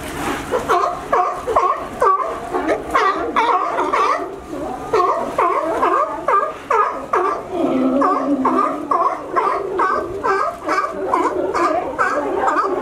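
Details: Sea lions gathered at a California dock they reach by climbing a fence; steady, throaty, gargling barks from many animals overlap without break, some dropping lower in pitch midway.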